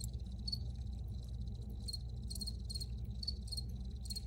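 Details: Crickets chirping in an original field recording: short, high, shrill chirps arriving in uneven clusters of two or three, over a constant low rumbling hum.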